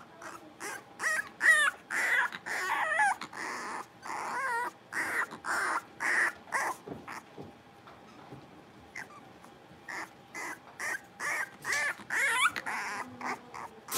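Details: Playing blenheim Cavalier King Charles Spaniel puppies, a New Year's litter of five, yap in an indoor pen: a steady run of short sharp barks roughly twice a second, some with wavering whiny tones, pausing briefly before resuming.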